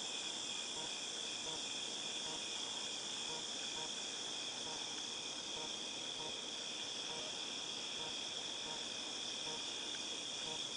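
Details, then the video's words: Shrill constant drone of cicadas, August 2018, with faint pulsed buzzing mixed in and a murmur of background noise. "Cicadas Tinnitus Sound"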